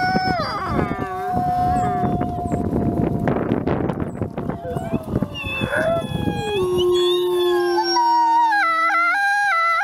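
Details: Captive-born gray wolves, ambassador wolves at a wolf conservation center in South Salem, New York, howl on Christmas Eve in overlapping, long drawn-out tones sliding slowly downward, with harmonies between voices; gray wolf.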